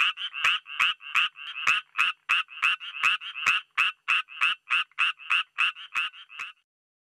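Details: Japanese tree frog (Dryophytes japonicus), call.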